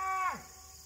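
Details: A little bull calf near a white oak tree on August 31, 2023, gives a brief, bright bawl that slides sharply downward in pitch and fades within a second, while a person calls to it.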